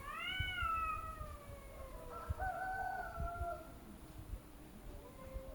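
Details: Arguing cats trading calls: a strong meow gently falls, then a second wavering cry steps up and sags, with soft clicks and a faint low yowl trailing off.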